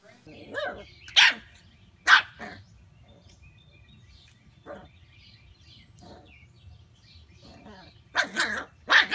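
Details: Mona Lisa, a pet Pembroke Corgi, lets out a few loud, clipped barks early on, then quieter yips, and ends with a quick double bark, while Spanish speech murmurs in the background.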